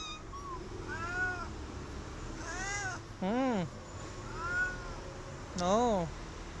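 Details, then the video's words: Stray cat begging for food, meowing repeatedly in arched, slightly rising calls, interrupted twice by louder, lower wavering voiced sounds close to the recorder. "Stray Cat Hissing At Me But Asking For Food"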